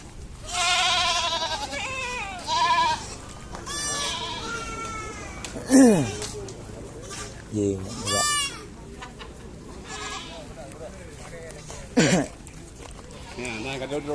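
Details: Several goats on wide land at Blangjrun, Aceh Utara, calling over about fourteen seconds: wavering bleats and a few sharp, downward-sweeping cries, spaced irregularly among background voices.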